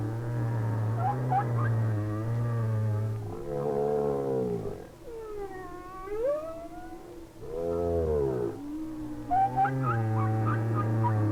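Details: Humpback whale singing in winter, the singer often a lone whale, probably a male, moving very slowly or not at all, perhaps singing to attract a female; long moaning tones with swooping rising and falling notes, distant whales singing behind.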